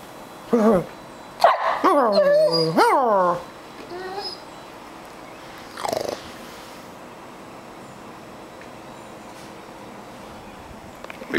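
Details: Doberman puppy aged thirteen weeks begging for breakfast cereal indoors, climbing at the couch; a few loud whining yelps and a drawn-out wavering whine early on, then mostly quiet room sound with one more brief whine.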